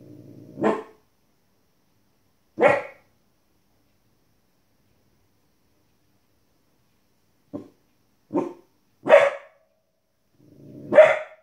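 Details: Female Border Collie puppy, 15 weeks old, reacting to wolves and other animals on TV inside a small room: scattered barks spaced by long pauses, some soft and clipped, others loud and sharp.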